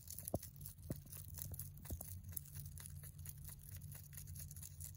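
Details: Hay being munched by a pet mini rabbit named Lucky, a boy born November 3, 2020: rapid dry crunches and tearing snaps, close to two per second and unevenly spaced, with a constant low droning hum underneath.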